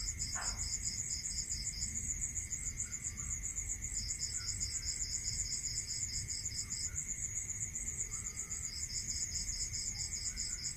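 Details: Crickets calling at night in a rural area: two high, shrill pulse trains overlap, one steady and continuous, the other breaking off and resuming, above a constant thin whine and a low background rumble.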